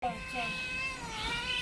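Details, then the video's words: Cat meowing, described as a cat in distress: a drawn-out, wavering meow with rich harmonics lasting over a second, while a person calls out repeatedly in Bengali nearby in a small indoor space. "cat meowing.kitten sounds.cat meowing funny sound.What does a cat in distress sound like?"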